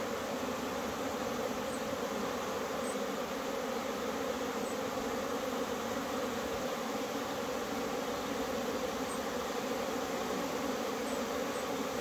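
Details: Many honey bees flying in April after a cold spell make a steady, dense, unbroken buzzing hum.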